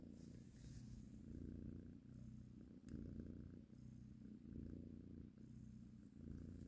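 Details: Mother cat purring steadily while nursing and caressing her kittens; a low, continuous rumble that swells and eases with each breath, cycles roughly every second and a half, with a faint click near the middle.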